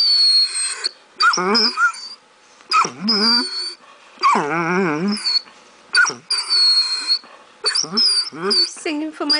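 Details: Pet Basset Hound singing while begging for ravioli at supper: short bursts of wavering, yodelling whines and howls that rise and fall, about five bursts in nine seconds, over a steady high whistling tone, with a person talking.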